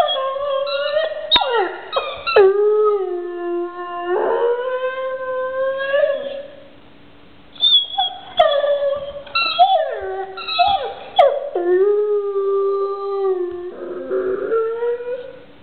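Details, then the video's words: Pet dog howling over a toy: long rising and falling howls with a short pause mid-way, then more wavering cries and drawn-out howls, some clicks in between. "howling dog i love my toy or do i"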